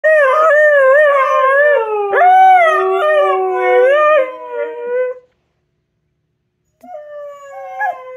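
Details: Pet Siberian husky breaking into a howling song for no reason: a long wavering, yodelling howl with a sudden upward swoop near two seconds, fading out after five seconds, then a quieter, shorter howl near the end.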